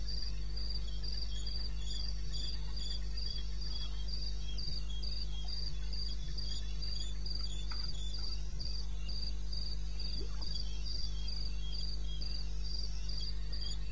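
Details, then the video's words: Night chorus of crickets in eastern Botswana wilderness, captured at 02:30 on 21 May 2016: rapid, evenly spaced high-pitched pulses repeat nearly four per second, with softer overlapping chirps from other insects and a steady low rumble beneath. "1 Hour cricket sound-Africa-No loop-Real recording. Not edited."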